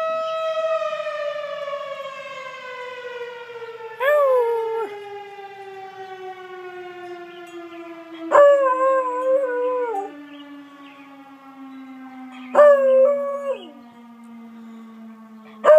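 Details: Bluetick Coonhound, a pet dog, howling in response to sirens: a long, slowly falling siren tone runs throughout while three wavering, quavering howls break in at about four-second intervals.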